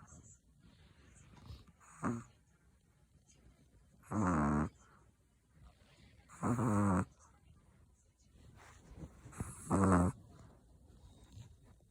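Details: Chihuahua snoring: several loud, rasping snores, each lasting under a second, the longer ones spaced about two and a half seconds apart, with faint softer breaths between them in a quiet room.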